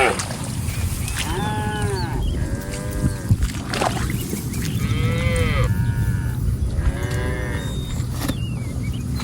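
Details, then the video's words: Group of cattle roaming a rice paddy while grazing; four arched, harmonic moos spaced roughly two seconds apart, over heavy low-frequency background rumble. "Suara Sapi Lembu Lucu"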